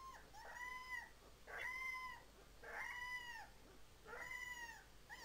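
A Siberian Husky puppy gives short, high, wavering howls, each rising then falling, about a second apart.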